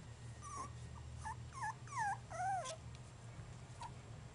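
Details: Basenji puppies aged three and a half weeks whimper in a run of high, thin whines, each bending up then sliding down, in a quick, uneven burst over a low, steady background hum.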